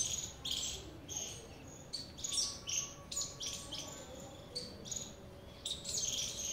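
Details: Squirrel giving rapid, sharp high-pitched chirps in short irregular bursts, several per second with brief pauses, over a steady low background hum.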